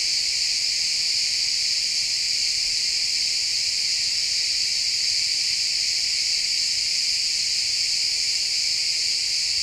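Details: Woodland ambience of a pine forest at sunset dominated by chirping crickets, XY stereo recording; many insects trill together in a shrill, continuous, evenly loud chorus.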